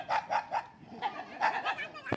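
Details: Dog barking in a rapid run of short, sharp barks, about four a second with a brief pause midway, then human voices.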